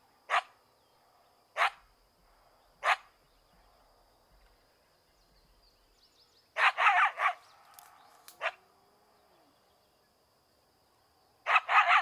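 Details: An angry coyote gives sharp, harsh barks, first singly, then in quick clusters of two or three.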